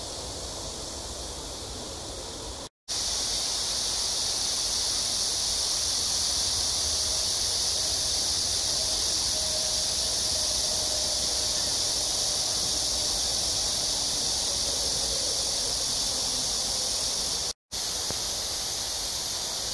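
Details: A chorus of cicadas heard during an early evening walk at AMSA Ecological Park beside Seoul's Han River, South Korea, 26 July 2021, in a summer heat wave; an unbroken, shrill, sizzling drone holds steady throughout, broken only by two short silences.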